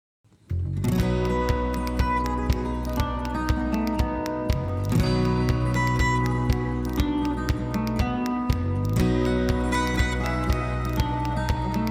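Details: Strummed acoustic guitar music plays throughout with a steady beat, and no animal is heard.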